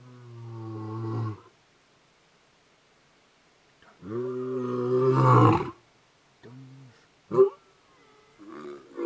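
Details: A lion roars about 100 m from a house at night in Moditlo Wildlife Estate, a game reserve near Kruger National Park, South Africa, in deep, moaning calls that break into shorter grunts.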